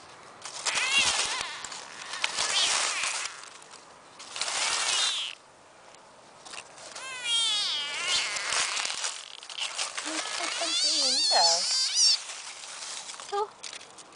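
A frog gives high, wavering squeaks among rustling bursts, with a person talking nearby.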